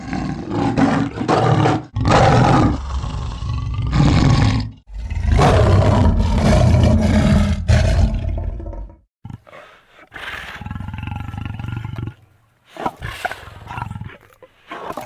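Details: Two leopards in a growling exchange, long, loud rasping snarls with strong low rumble, a few seconds of near silence, then renewed shorter harsh growls and hisses.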